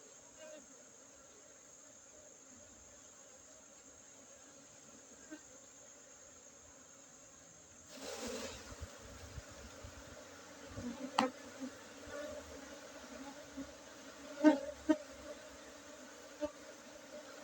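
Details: At a Gayo Arabica coffee-garden apiary in Bener Meriah, Aceh, Indonesia, honey bees hum during a honey harvest on 5 June 2023. The low drone is quiet at first, then louder handling noises and knocks start after about eight seconds.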